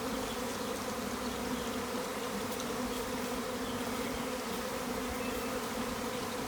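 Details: A massive swarm of thousands of western honey bees outside an upstairs garden window on April 26, 2020, giving a loud, steady drone of countless overlapping wingbeats before settling in a tree.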